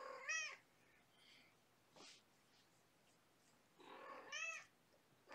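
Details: Young kittens of a five-kitten litter with their mother Gamora at bedtime, born April 14th; two clear rising-falling harmonic meows, one at the start and one near the end, with a soft click between and quiet room background.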